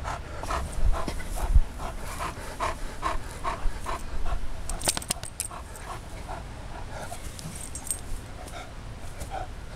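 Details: Max, a friendly four-year-old male Newfoundland in rescue care, meets another dog at his foster home; quick, uneven breathy panting pulses come in bursts, louder in the first half, with faint rustling and clicks behind.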